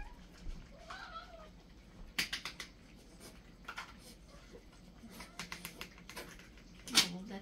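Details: Several pet cats in a feeding frenzy, excited over their daily pate; a short wavering meow rises and falls near the start, followed by sharp clicks and clatter, with a person speaking briefly in Chinese.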